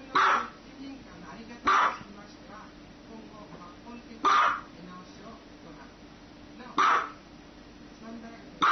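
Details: A dog barks in five short, loud bursts spaced roughly two seconds apart over about nine seconds, with people talking and exclaiming in Spanish between the barks.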